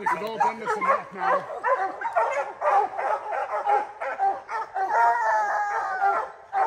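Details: Dense, overlapping barks pour out on the first opening day of black bear training season, July 2024, with Rocky the hunting dog in action; a man talks briefly at the start, with rustling behind.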